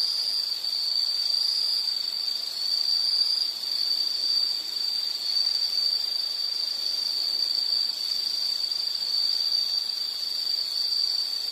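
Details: Unbroken high-pitched insect buzzing rings on at one level, a continuous shrill whine with slight wavering in strength, over a faint background hiss and nothing else.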